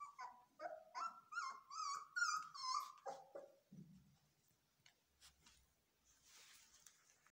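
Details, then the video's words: Belgian Malinois puppies during training, screaming: a run of high, wavering whines and yelps, about two per second, drops into a low growl, then quieter rustling and clatter indoors. "Malinois puppies scream"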